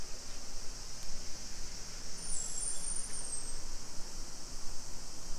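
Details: Continuous shrill buzzing of cicadas on a July 2021 summer afternoon, 2 PM, in residential Nisshin city, Aichi Prefecture, Japan, about 20 km from downtown Nagoya; even, unvarying high drone with soft low-pitched street rumble beneath.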